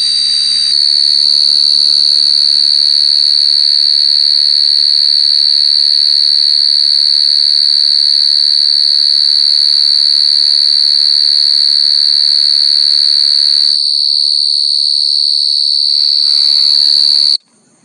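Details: Continuous high, ringing cricket trill (Khmer ចង្រិত) running unbroken for most of the recording, briefly dipping near the end before resuming, then cut off abruptly into silence.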